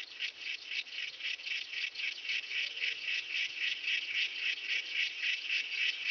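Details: Myrmeleotettix antennatus grasshopper singing at Nesvady, Slovakia, on 23 July 2023: a steady series of dry, buzzy rasping pulses, about four per second, high-pitched and evenly spaced, swelling slightly in loudness, with no other clear sounds.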